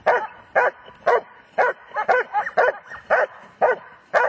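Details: Repeated loud barks from a German Shepherd, roughly two per second, short and forceful, with a few quicker doubled barks midway; nothing else clearly heard.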